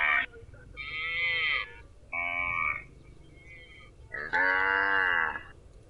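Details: Cows mooing: four drawn-out harmonic moos of about half a second to a second each, some steady and some bending in pitch, separated by short quiet gaps over a low background hum.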